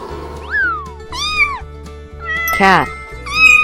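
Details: Cat meowing twice with short, arched, falling mews over a steady backing of music with a bass pulse; a synthetic sweep and a brief noisy burst also cut in.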